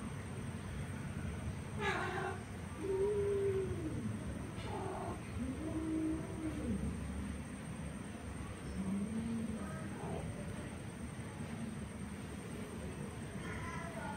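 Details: Orange male cat trying forcefully to mate with a female cat: several low, drawn-out, wavering yowls rich in harmonics, each bending up then down, spaced a few seconds apart over a steady rumbling background noise.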